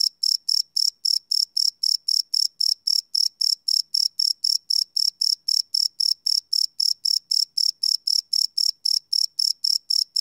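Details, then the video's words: Live field recording of crickets at night on a Sony PCM D100: rapid, high shrill chirps pulse steadily near four times per second, the only sound in a quiet setting. "Cricket Chirp Sound - Cricket Sounds at Night"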